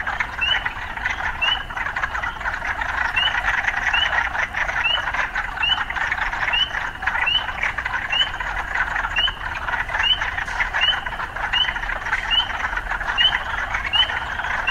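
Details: A continuous frog chorus in an urban setting, punctuated by short rising chirps repeated regularly about every second throughout, over a dense buzzing background of croaks.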